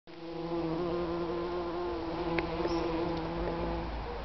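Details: Bee in a garden in Wolverhampton, UK, June 2010: a steady, low droning buzz with a rich hum of overtones, holding even pitch for about four seconds with faint small clicks midway.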